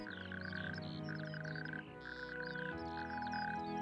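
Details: Natterjack toads give loud, rattling churrs in quick bursts over soft background music, heard in spring from the dunes of Skagen's Point, Denmark, on sandy heathland; the croak marks spring.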